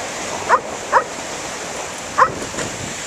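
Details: Standard Poodle, female, barking in the sea waves over her lost tennis ball while her companions wait on the shore; a pair of short barks, a gap, then one more and a fainter fourth, against constant wave noise.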